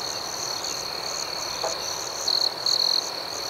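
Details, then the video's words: Night crickets outdoors: a steady piercing trill with fast chirps layered on top, then two short, louder bursts of trilling close to the end. "Soothing Cricket Sounds"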